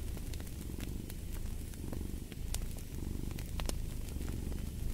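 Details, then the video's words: A cat purrs beside a crackling fireplace: a steady, low rumbling throb rising and falling with each breath, while sharp pops and snaps of burning wood sound over it. "Fall asleep to the Purring of a Cat & Fireplace"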